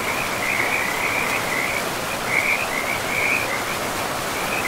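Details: Frogs call in a steady high trilling chorus over the constant rush of a river deep in a forest with moss-covered land.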